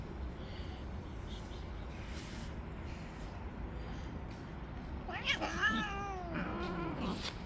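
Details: Jealous tabby cat on the street, attacking and driving off other stray cats that come near; after a quiet stretch, two or three harsh, bending meows with strong harmonics in quick succession, with a constant low urban hum behind.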